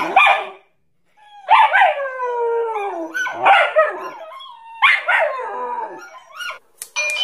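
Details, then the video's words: Dog barking in short, strained bursts, several sliding downward in pitch, followed by quick yips near the end; a chime-like tone is also heard. "dogs barking sounds angry"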